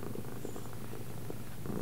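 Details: Domestic cat said to understand left and right, indoors during a left-right command session; a steady, low continuous purring rumble runs throughout with no breaks, and faint softer flickers sit above it.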